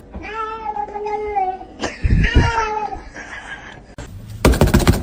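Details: A domestic cat gives two long, steady, clearly ringing meows, then a shorter wavering meow, followed by knocking and rustling noises at the end.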